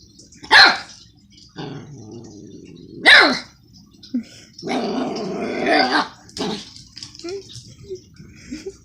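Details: Pet dog yelling at its owner for doing homework: two sharp, loud barks about two and a half seconds apart, then a longer strained yowling cry and a few soft yips, with some low murmuring voice between them.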